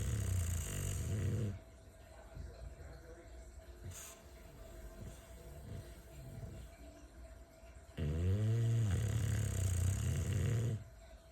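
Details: Bulldog snoring in two loud bursts, one at the start and one near the end, each a rapid low rattling rumble of about four pulses a second, with quieter low noise in between.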